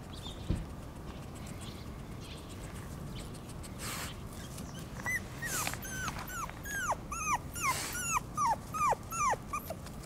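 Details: Shiba Inu puppy, an only pup born 25 December 2017, on its second day outdoors and unused to the surroundings, filmed 19 January 2018: quiet start, then a run of high whining whimpers, falling in pitch, about two or three per second.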